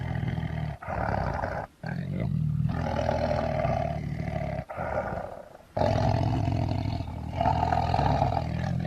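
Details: Lion producing sustained, throaty roars and growling with strong low resonance, interrupted by sharp breaks, the later bursts louder and fuller.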